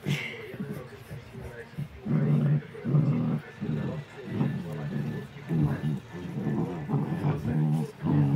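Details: Seven-week-old Rottweiler puppies, three of them, tussling over one toy; low rumbling growls come in pulsing bursts about every half second to second, with human talk mixed in.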